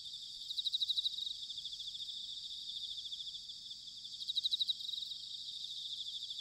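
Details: Autumn bell crickets recorded at Sanuki in Chiba, Japan: two short bursts of high pulsed ringing, each under a second, stand out over a steady background of insect chorus and faint low rumble.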